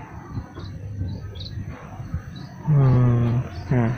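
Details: Hungry goat kept behind a house in Indonesia, waiting while grass is gathered for it: one loud, steady, low-pitched nasal bleat lasting under a second, then a second short bleat, over a low engine-like rumble and faint chirps.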